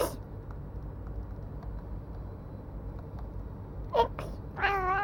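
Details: Shabi, a black cat, answering a person's sneeze indoors; a sharp burst, then a short rising-falling meow with clear harmonics near the end, over a steady low rumbling background.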